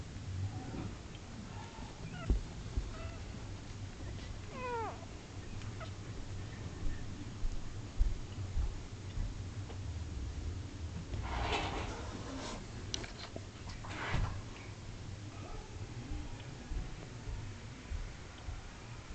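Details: Nine two-day-old Shetland Sheepdog puppies sleeping and twitching up close, giving a few soft, thin, high squeaks that rise and fall, mostly near the start and middle, over a steady low hum and light rustling.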